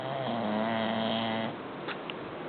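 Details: Butch, a bulldog, snoring: a long harmonic, nasal rasp held for about a second and a half, then a softer breathy exhale with a couple of faint clicks, indoors.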